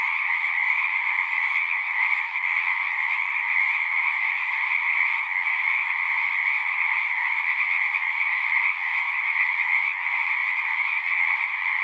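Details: Dense nighttime-style chorus of singing frogs: overlapping rapid trills form one steady, vibrating wall of sound at two pitch levels, uninterrupted for the whole stretch, with no other sounds.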